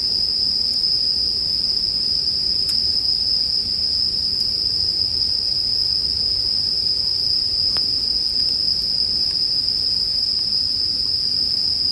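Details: A bell cricket chorus rings on one constant high note throughout, blended with a crackling bonfire in sleep music. Several crisp snaps from the fire cut briefly across the even insect tone.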